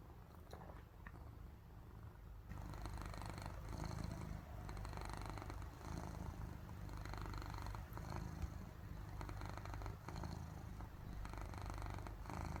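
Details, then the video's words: Cat purring while sleeping, a low rhythmic rumble pulsing in breaths, softer at first then louder after two seconds, like snoring. "코 골며 자는 고양이 (골골 소리) Snoring Cute Cat (Purr Sound!)"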